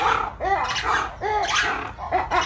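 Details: At a zoo (tagged Santa Ana), a black-and-white ruffed lemur gives loud, harsh, bark-like calls in quick repeated bursts.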